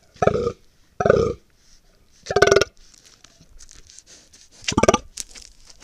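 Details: Fallow deer stag (Dama dama) recorded by trail camera in a Sierra Morena dehesa during the autumn rut, 1 October 2023: four deep guttural belching groans, each about half a second, spaced roughly a second apart, with quiet pauses between.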